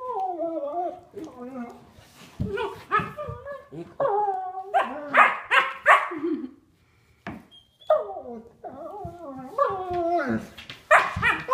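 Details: Three-year-old sable German Shepherd Duke playing with nine-week-old Havok, roughhousing without a toy; quick strings of high, yappy barks and yelps, briefly dropping out midway then resuming rapid and excited, with speech mixed in.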